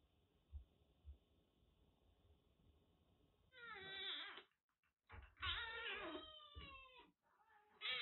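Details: Rescued kitten, found soaked in record heavy rain in western Japan with a cat cold blocking both eyes and nose, now recovering at a Kagoshima kitten nursery. After a low steady hum, three loud, drawn-out harmonic meows: two long wavering cries, then one brief one at the end.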